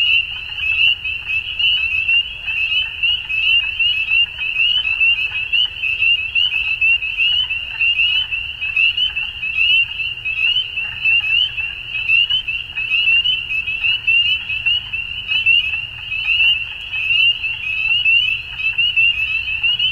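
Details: Chorus of frogs at dusk, a continuous high-pitched trilling wall of overlapping pulsed calls, steady in loudness throughout with slight rhythmic swells.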